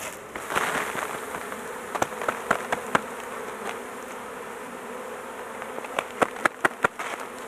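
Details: Even, droning buzz of many honey bees at a large hive under intervention, the queen caged to keep her safe; louder swelling buzz at the start, then repeated sharp snaps and knocks, especially toward the end.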